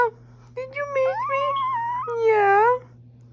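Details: Pet Chihuahua howling: a sustained, wavering, high-pitched moan in two long phrases, the first stepping upward in pitch and the second swelling and dipping before cutting off, with a quiet room otherwise.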